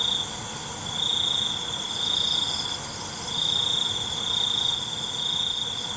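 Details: Cricket chorus at night: a long, unbroken high-pitched trill that fades briefly and returns, with faint ticking clicks near the end and a steady insect hiss.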